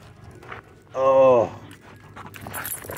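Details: Pit bull mix with rare colors at a dog park during rope tug play, letting out one drawn-out harmonic whine or yelp lasting about half a second, with voices around.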